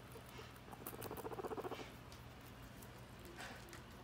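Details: A female guinea pig eating lettuce gives a brief, rapid pulsing rumble of soft repeated notes over a faint steady hum.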